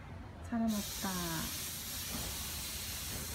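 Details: Seven-month-old neutered Ragdoll cat named Ao, out on a walk through a newly occupied apartment complex in South Korea. Two short meows, each gliding slightly downward, half a second apart, over a steady low hiss and rumble.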